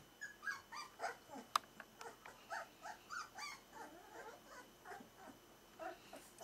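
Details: Four-week-old Smooth-faced Pyrenean Shepherd puppies indoors give a steady run of high, short whimpers and yips, roughly two or three each second, overlapping as several pups call, with a sharp click near the middle and a faint steady background hum.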